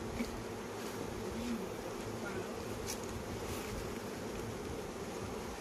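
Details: Honey bees at a Khmer honey farm during the flowering season give a dense, steady low hum that runs unbroken through the whole stretch, with faint ticks and rustles on top.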